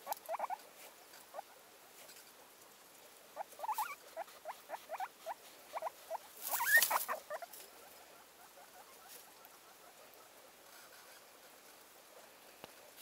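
A guinea pig gives quick runs of short, rising squeaks, then falls quiet.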